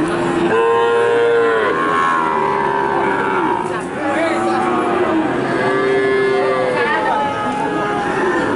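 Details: Livestock market cattle lowing repeatedly, drawn-out harmonic moos that rise and fall, several animals overlapping, with busy background chatter from people throughout.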